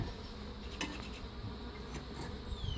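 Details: Defensive honey bees from a feral swarm with some Africanized genes, at the hive while a new Italian queen is installed; continuous low buzzing drone from the crowded colony, with a few faint clicks of handling.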